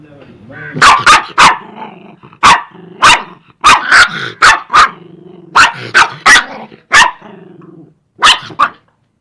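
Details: Angry dogs barking and growling: loud sharp barks in bursts of two or three, separated by short pauses, with a low growling rumble held underneath between the barks.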